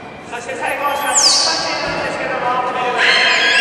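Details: Beluga during a public training session at Port of Nagoya Public Aquarium, Japan, 24 March 2018, 16:30 show; a high whistled call sweeps steeply downward, then a brighter burst near the end, under a man's steady narration in a large echoing hall.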